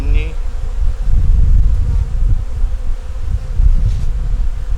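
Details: Colony of honey bees, a nuc with eggs and brood in the top box, opened in winter as cold weather approaches: a rough, even low-pitched buzzing throughout with a brief higher tone at the start.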